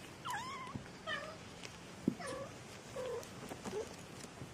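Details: Kittens three weeks old mewing repeatedly, thin wavering cries that rise and dip, about one every half second to second, with one sharp knock in the middle over low indoor background noise.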